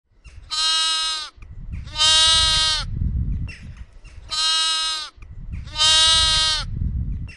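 A lamb bleats loudly in four harsh, wavering cries, each about a second long.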